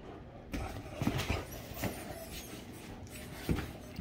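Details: Great Danes Rhapsody and The Heartbreaker, a pair nuzzling and playing together, give short breathy snorts and snuffles in broken bursts, with one low throaty grunt near the middle and another near the end.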